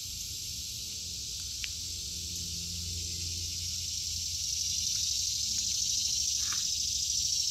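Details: Cicadas sing over an August 2023 garden of vegetables, their shrill sustained drone unwavering and slightly swelling toward the end, with a soft low hum and a few faint ticks.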